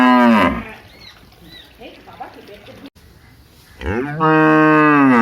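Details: Big village cow: the tail of one moo at the start, faint murmuring background sounds in between, then a fresh moo rising and holding loud to the end.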